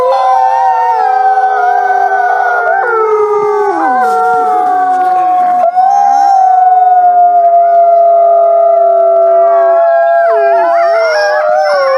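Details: Wolf howling in a group chorus, many drawn-out tonal voices layered at once, a strong steady note held for several seconds while others slide downward in dips and swoops, a harsher wavering burst near the end.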